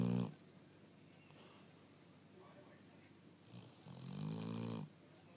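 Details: Snoring dog, one of many snoring episodes: a rough snore ends at the start, then after a quiet pause another deep, rattling snore of about a second follows.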